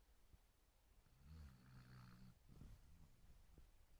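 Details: Snoozing Basset Hound lets out one drawn-out, throaty snore with a nasal, buzzing tone lasting about a second, then a short rattling breath, all fairly quiet.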